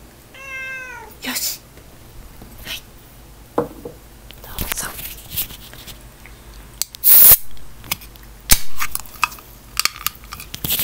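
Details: Domestic cat indoors during a celebration feast, scolding its owner for eating too much: a single clear meow about a second long that slides downward with rich harmonics, followed by quiet room tone, faint clinks and light tableware noises.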